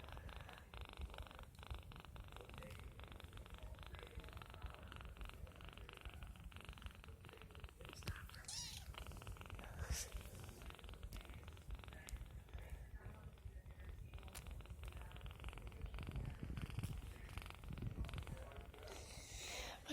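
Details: Three-week-old kitten purring contentedly while bottle feeding and teething, milk on its face; a steady low rumbling purr runs throughout, with soft handling noises and a few brief clicks.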